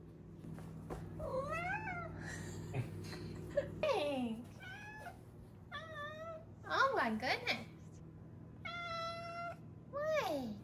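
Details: Five-month-old female Maine Coon kitten indoors making rapid trilled chirps and wavering meows, some bent upward then down, one steady buzzy trill near the end, with brief speech and low background hum.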